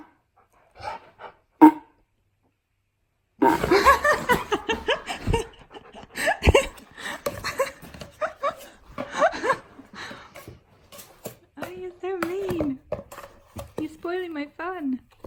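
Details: Key, a pet dog, argues back with its owner indoors in a small room: bursts of clattering noise and talk give way to wavering, rising-and-falling whines repeated in short sequences near the end.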